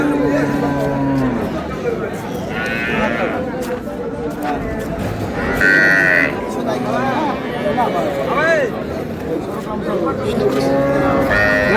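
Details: Cows with calves for sale at Ambari cattle market in Dinajpur, 20 April 2026; low drawn-out moos with harmonic bands, amid constant buyers' and sellers' chatter in Bengali and busy market noise.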